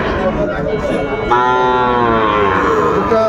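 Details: Sahiwal bull calves at a cattle market on 10 February 2025, being bought by a farmer from Comilla, Bangladesh; after a second of crowd chatter comes a long, drawn-out moo, steady then slightly falling, with people bargaining throughout.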